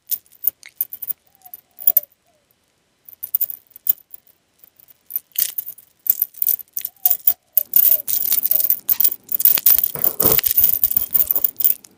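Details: Crunching, clinking and jangling sounds like kibble and a metal bowl, with no animal call.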